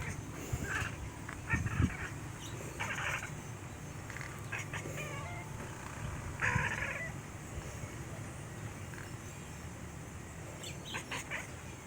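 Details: Black cat chittering at its owner: several short, clipped harmonic bursts in uneven spurts over a low background rumble.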